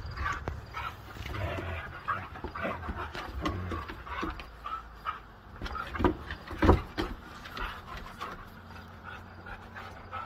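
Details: Siberian Huskies playing rough together: low, rumbling growls and breathy panting run through the clip in uneven bursts, with a sharper yelp-like burst near the middle and low background hum.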